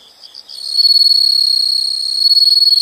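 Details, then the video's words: Insects calling in a nature soundscape: a faint pulsed chirping gives way after half a second to a loud, steady, high-pitched continuous trill with a fine rapid pulse, holding evenly to the end. "the sound of insects"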